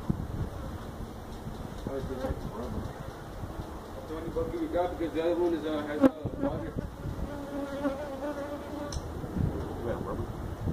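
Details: Honey bees from a feral hive built inside a tractor tire, in a stack of tires at a citrus orchard in Mission, Texas, disturbed during hive removal: a droning, wavering hum of many bees that swells midway, with thumps and handling noises.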